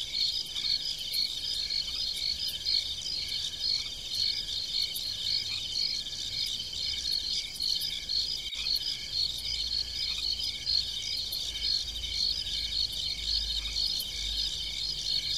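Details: Night-time crickets in the fields of a farm, many overlapping high-pitched trilled chirps forming a continuous pulsing chorus, roughly two pulses per second, over a soft low background hum and one brief click.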